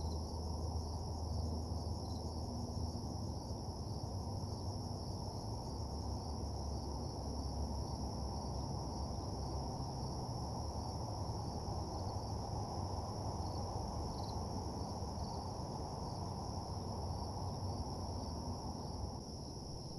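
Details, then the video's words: Nighttime cricket chorus in a lonely parking lot: a continuous shrill ringing drone holding steady for the whole stretch, layered over heavy low-frequency rumble that dips slightly near the end. "Nighttime Parking Lot Ambience (Cricket Sounds)"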